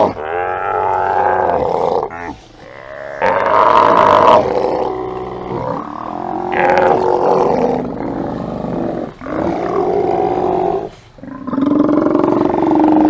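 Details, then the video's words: Steller sea lions crowded on a haulout on 24 September 2018, keeping up an almost continuous chorus of deep, rough roars and belches that overlap and rise and fall, with few pauses. "EVERYBODY OUT! Time to get up for Steller Sea Lions."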